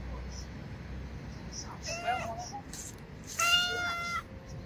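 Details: Chatty orange stray domestic cat meowing: two harmonic meows, a shorter wavering one near two seconds, then a longer, louder, steady meow lasting almost a second, over a low background rumble.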